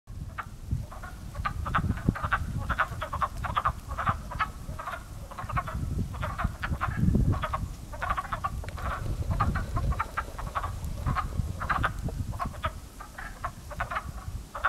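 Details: Many frogs in a pond coming to life in early spring, their sound first mistaken for crows: a dense chorus of short, hoarse, clucking croaks that overlap continuously, with a steady low rumble underneath.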